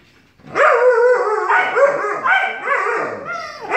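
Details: Heated back-and-forth between a Malamute puppy and a Siberian Husky becoming howls: continuous, wavering, vocal yowling with repeated upward swoops and dips, grumbly and expressive, ending on a sharp high rise.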